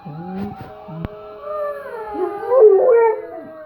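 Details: Dog howling in imitation of a police siren it hears; a few low yips at the start, then a long wavering howl that rises and falls over several seconds.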